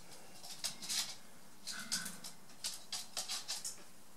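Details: Rabbits, a mother and her young one Willi, recorded 11 September 2014: a run of short, crisp crunching bursts, about eight in four seconds, in a steady nibbling rhythm over a faint background hiss.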